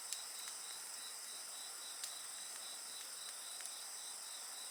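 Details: A chorus of insects next to a bonfire: high, even shrilling in several layered tones, one of them beating in fast regular pulses, with only a few soft fire crackles.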